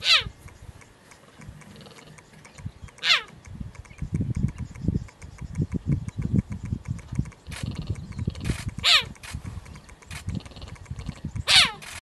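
A cheetah gives high, bird-like chirps that slide sharply downward, spaced a few seconds apart.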